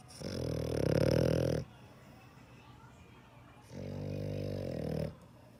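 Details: A sleeping dog snores: two low, buzzy, rasping breaths, each lasting about a second and a half, separated by a quiet pause of about two seconds in a small indoor space.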